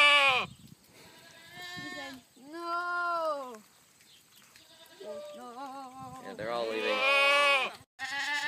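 A goat gives long, wavering bleats that sound oddly like a cow's moo.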